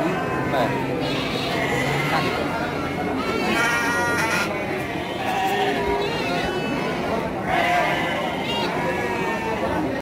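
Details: Garut sheep ewes at the Pasar Andir sheep and goat market, Garut, dated 5/4/2021: wavering, harmonic-rich bleats near four and eight seconds rise over steady crowd chatter and talking voices.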